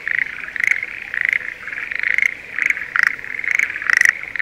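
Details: Breeding Schlegel's green tree frogs calling in spring rice fields near Sendai, Japan: rapid clicking trills in a dense chorus, with sharp pulses about twice a second.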